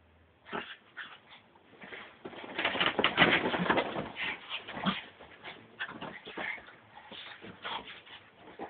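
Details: Wild, excitable Brussels Griffon dog building from scattered yips into a dense, loud run of whining, snorting vocal bursts midway, then trailing off into repeated softer yelps.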